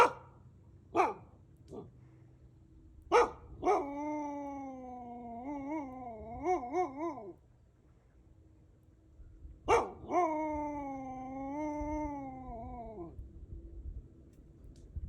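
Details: A captive wolf, possibly a hybrid living relaxed in a group, gives two drawn-out, rich howls, the first wavering and breaking, the second steadier.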